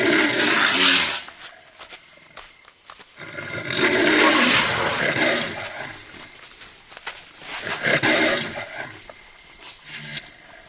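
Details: Lion growl played back from a speaker to deter a cautious elephant approaching a forest boundary; three loud, rough, broadband roaring bursts about every three to four seconds, with quieter gaps between.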